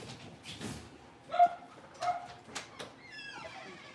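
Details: Blenheim Cavalier King Charles Spaniel puppies from a litter of five, born on New Year's, moving into a bigger indoor pen; scattered short yips early on, then a thin, rising, harmonic whine near the end.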